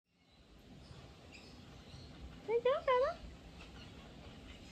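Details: Bella, a teacup poodle, gives three short, rising and falling high-pitched whines in quick succession, with a quiet room hum and faint chirpy background noise.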